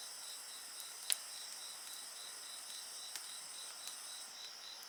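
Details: Continuous shrill trilling of insects near a bonfire, a dense high chorus with a pulsing quality, and only a few soft pops from the fire, one louder snap early on.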